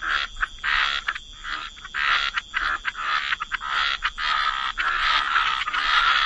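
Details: Wetland frog chorus, many frogs croaking together in overlapping raspy bursts that merge into a near-continuous rattling din.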